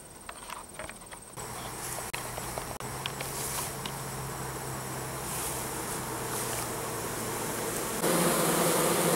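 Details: Honey bees at an apiary in September 2014 during the goldenrod nectar flow, in perfect weather, bringing in nectar at the hive entrances; a low steady hum that grows louder as the recorder approaches, with a sharp jump in loudness near the end.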